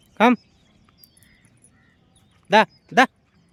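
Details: Street dogs kept together with a pup, calling in a quiet outdoor setting: one short harmonic bark, then a quick pair of similar barks a little over two seconds later, with faint background murmur between.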